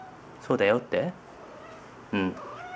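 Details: Domestic cat indoors calling out a word-like "tsuri" while searching a closet for its toy fishing rod; two drawn-out harmonic meow-like calls in quick succession, then a third after a pause, over quiet room hiss.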